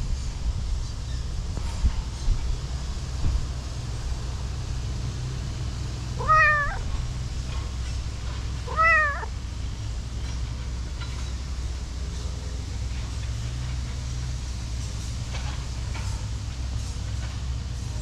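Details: Orange-and-white cat, heavily built, being petted and kneading with its paw pads, gives two clear meows about two and a half seconds apart, each arching up then down. A steady low rumble runs underneath throughout.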